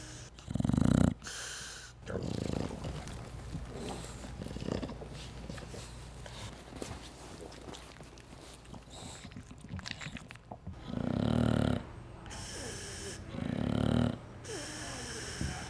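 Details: Sleeping dog snoring: irregular, raspy, noisy breaths, heaviest at the very start and in a run of loud rasps toward the end, with quieter shuffling sounds in between.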